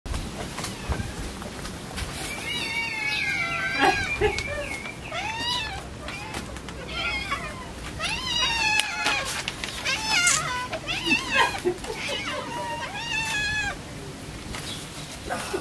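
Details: Orphaned kittens crying desperately for food while being fed; several overlapping, loud, high meows with wavering rising-and-falling pitch, rapid and irregular, clustered in bursts across the whole stretch, with light background noise.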